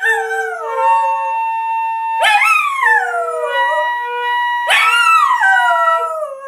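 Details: Scooby the dog sings scales, howling along in long harmonic wails that swoop upward then slide slowly down, each starting about two and a half seconds apart, over steady held tones beneath.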